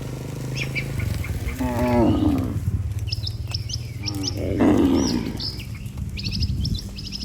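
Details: As a herded group of healthy cattle heads back to the barn, two strong, low moos swell and fade about two and a half seconds apart. A low hum runs underneath and small birds chirp in the background.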